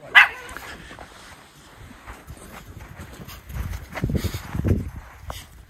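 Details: Unleashed Miniature Schnauzer brothers playing in winter snow in Aroostook County, Maine, January 6, 2023; a single loud, sharp bark opens, followed by quieter rustling and soft low thumps of movement.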